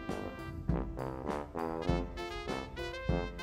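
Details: Bouncy brass-band music with trombone and trumpet plays in a steady swinging beat, and no animal voice is heard.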